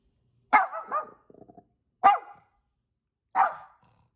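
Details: Angel, a pet dog in Vancouver, British Columbia, Canada, barks back at neighbour's dogs that are barking; a double bark with brief clicking after, then two more single sharp barks spaced over a second apart.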